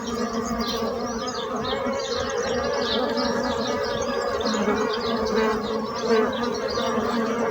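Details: Steady humming drone of bees, the buzz holding an even level for the whole stretch, with scattered bird chirps and twitters behind it.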